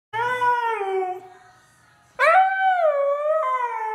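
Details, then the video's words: A Siberian husky howling along to rap music: two drawn-out tonal howls, the first slowly sliding downward, the second starting with a sharp rising onset before holding steady, rich in harmonics. "Tone deaf husky howls along to music"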